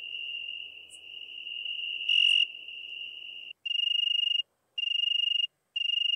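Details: ['Italian tree cricket singing in Venice, Italy, 2 September 2021: a continuous clear trill that breaks after about three and a half seconds into separate chirps of under a second each, split by short silences.']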